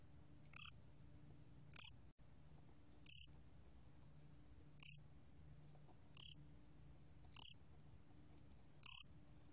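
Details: Gom-gwitturami cricket from a 2020 National Institute of Biological Resources recording: seven short, high, bright chirps, each a brief pulse, repeated evenly about every one and a half seconds over a faint low hum.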